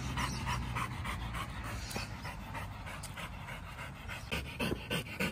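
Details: Samoyed puppy Whiskey at play in a dog park among other dogs, breathing in quick, even pants about three times a second, loud and close, with faint outdoor noise behind.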